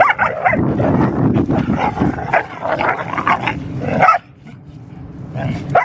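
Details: Two Deerhounds, Art and Finn, play fighting: dense low growling with bursts of sharp barks and yips for about four seconds, a brief quieter pause, then another yelp near the end.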